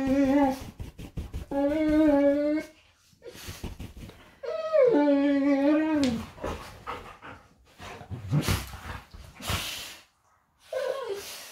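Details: Golden retrievers play fighting in bed indoors: drawn-out, harmonic whining moans that bend up and down, one after another, then shorter sharp yips and yelps mixed with rustling bedding.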